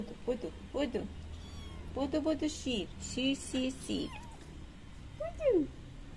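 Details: Mother cat, who came into a yard with three kittens and is being fed milk, gives short meows amid a person's talking, ending in one clear rising-then-falling meow.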